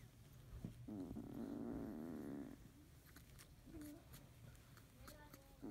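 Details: Field-line Labrador Retriever puppies, 31 days old, in the morning, a yellow female buried among her littermates; a steady wavering mid-pitched whine lasts nearly two seconds, then soft shuffling and brief faint squeaks follow.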